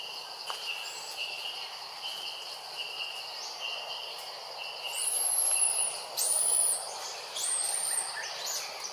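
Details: Jazzy the monkey cries loudly because Jane, another monkey, does not come to help; a quiet insect hum first, then a cluster of piercing, arching squeals near the end.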